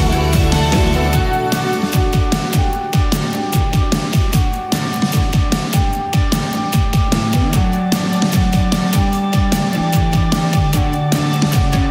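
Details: Loud electronic music with heavy bass and a driving beat, with no animal sounds.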